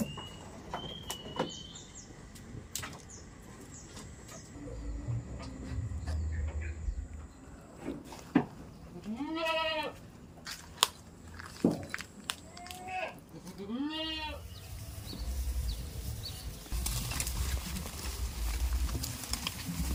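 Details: Goat. Two quavering goat bleats, each a tremulous nasal 'maa' rising then falling, stand out around the middle. Scattered clicks and knocks, a faint high whine and steady low background rumble fill the rest.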